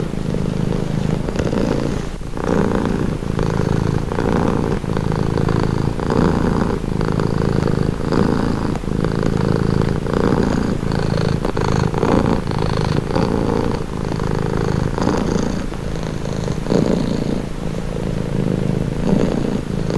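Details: Domestic cat purring steadily, a low rumbling drone with rhythmic breath cycles swelling and easing about every second, close and continuous over twenty seconds, presented as a calming, relaxing sound.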